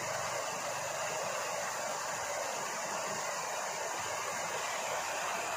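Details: Steady loud broadband roar, like wind or engine noise, fills the whole stretch with no animal sound.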